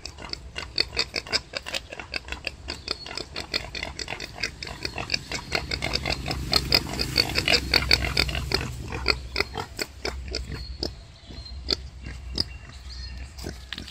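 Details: Mother wild boar giving birth, straining: rapid series of short clipped grunts and squeaks, about two per second and uneven, louder in the middle before easing off, over a low hum.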